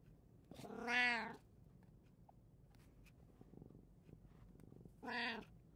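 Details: In a quiet household of three cats, recorded on 16 June 2024, one cat lets out two long, plaintive meows that arch up and down in pitch, separated by about four seconds of near silence.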